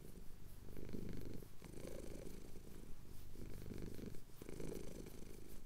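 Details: Low continuous purring from a male cat having his chin scratched at sunrise in the Cotswolds, Tascam DR-07X recording; rumbling purr pulses alternate with brief breaths, roughly four cycles in under six seconds.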